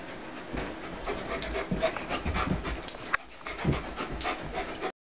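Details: Pitbull Corona and German Shepherd Warlock play fighting; heavy rapid panting and breathy snorts dominate, with scuffling thumps and short rough growly bursts between breaths.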